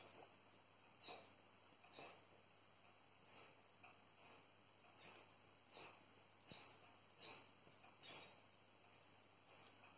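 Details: Dreaming German Shepherd puppy Salvo, 14 weeks old, sleeps after a day of running by the peat bogs. Gentle snuffling breaths pulse about once a second, joined now and then by tiny squeaky whimpers, with a constant low background hum.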